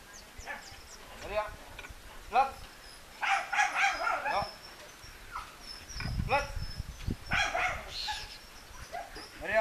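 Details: German Shepherd in a dog training session, Mareeya session 27: short, harsh barks and yelps with falling pitch come in scattered bursts, mixed with human speech throughout and a faint high steady tone.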